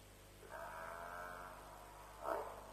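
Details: At Djuma, an African buffalo calls near a lion kill in the small hours, about 3 am, 7 March 2007: one long, even, moaning bawl, then a brief louder blurt, against faint constant electrical hum.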